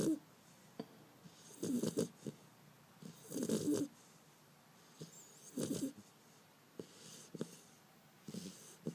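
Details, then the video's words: Sleeping Beagle puppy named Bender snoring on 5 February 2012: repeated harsh, rattling snores roughly every two seconds, each a short noisy rasp, with softer breaths and small clicks in between. "Bender (Cachorro Beagle) roncando"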